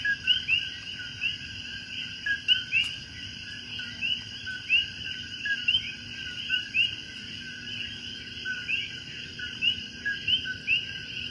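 A night chorus of coqui frogs, with short upswept whistled notes repeating over a steady high hum.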